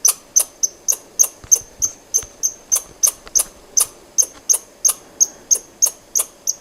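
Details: Squirrel giving a steady series of sharp, high chirps, roughly three per second, each a quick clicky burst with a thin whistled tone on top, evenly paced throughout against a quiet background.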